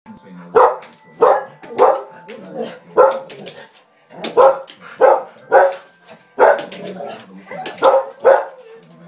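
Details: A Rottweiler barks at the television in quick, deep bursts, pausing briefly between runs of loud, rough woofs.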